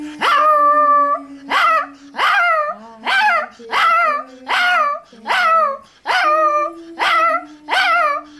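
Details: A Toy Fox Terrier sings along to Happy Birthday, giving short, wavering howls about once a second over steady low melody notes.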